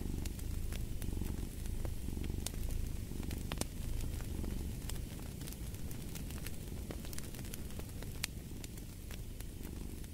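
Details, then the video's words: Cat purr as a low, even drone with gentle pulsing, set against a busy backdrop of crackling fire pops. "Fall asleep to the Purring of a Cat"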